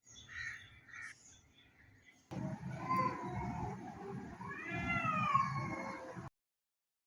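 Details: Domestic cat giving drawn-out meows, a few rising then falling in long wavering cries, over a low rumbling background; short quieter sounds come first, then the calls run for about four seconds before cutting off.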